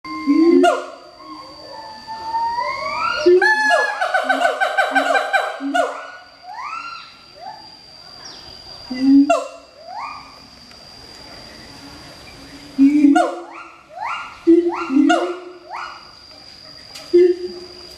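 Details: A captive pair of Siamangs (Symphalangus syndactylus) duet at Schmutzer Primate Center, Jakarta, Indonesia, at 09:21 on 20 April 2012, with loud booming hoots and rising, sliding whoops in rapid, accelerating bursts.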